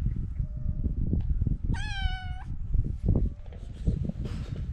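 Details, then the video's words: Kitten walking around and meowing, giving one clear, steady, harmonic-rich meow lasting under a second midway, surrounded by loud low-pitched thumps, rustling and footstep noise. "kitten walking around and meowing"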